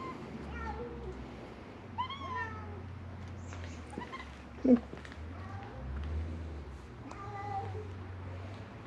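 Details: Feral cats crying for food at Mare Island Naval Shipyard, Vallejo, California; thinner, quieter falling meows spaced a few seconds apart, a sharp thump midway, steady low rumble and some speech.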